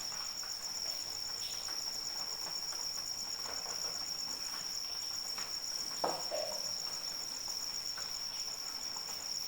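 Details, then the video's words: Persistent piercing cricket trill over falling rain, steady in pitch and loudness, with one sharper drip or knock around the sixth second. "Suara Hujan dan Jangkrik Pengantar Tidur"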